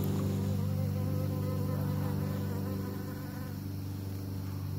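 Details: A loud, close buzz of bees pollinating: a rich, low steady hum layered with quivering higher tones that slowly waver as the insects shift position.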